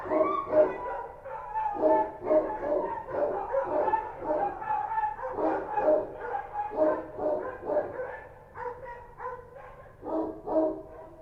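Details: Street dogs identified as Kochi dogs bark at night in Kabul: a dense chorus of rapid, overlapping yaps and deeper woofs, irregular, rarely pausing for more than a moment.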